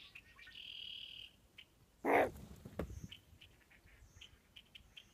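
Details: Fox pup found hiding under a bin on a farm, gives one short, sharp, loud yelp after a faint, thin, high whine; quiet scattered ticks and rustles follow.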